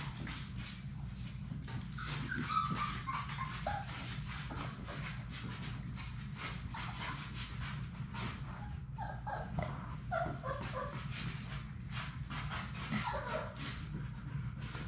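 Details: Six Labrador Retriever puppies at play in their puppy play room. Short, high whimpers and yips break out briefly several times. Constant clatter of paws and tapping runs underneath, along with a steady low hum.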